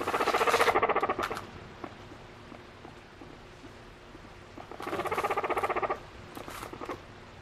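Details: A female pet guinea pig gives loud, rapidly pulsed squealing bursts while seeking affection from her owner, using varied calls to express emotion.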